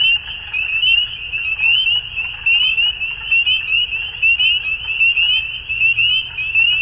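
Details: In Ontario, Canada, frogs call at dusk during spring, producing a thick, high peeping chorus with rising slurred notes repeated rapidly over a steady shrill drone.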